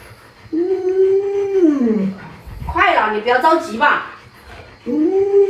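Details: Pet Alaskan Malamute named Luoluo trying to rouse a sleeping owner indoors: a sustained wavering whine that slides downward, a burst of human talk, then the dog's moaning call starts again.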